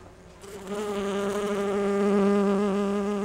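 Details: Bumblebee, similar to a Bombus ardens or Bombus ignitus kind, foraging for pollen on rhododendron blossoms. After a quiet half second, a loud, close, steady low buzz sets in and holds, full of even harmonics, with a slight wavering in pitch.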